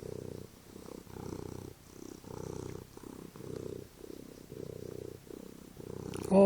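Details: House cat lounging on a couch before dinner purrs loudly and evenly, a low throbbing rumble in regular breath-length bursts, about seven cycles, ending with a sudden handling noise.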